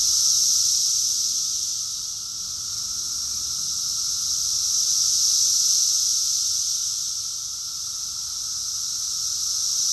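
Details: Massed cicadas singing in summer in Rockville, Maryland, recorded June 2021: a shrill, hissing buzz that surges and subsides in slow waves roughly every four seconds, over a faint steady lower tone.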